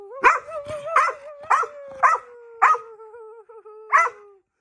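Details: Dogs howling: one long wavering tone holds steady and slowly sinks, while sharp yelping barks burst in roughly every half second to second over it.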